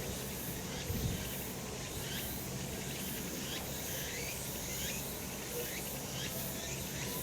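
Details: Sunny summer mountain with cicadas droning: an unbroken buzzing wash marked by regular pulsed swells, many callers blended together, and a short low thump early on.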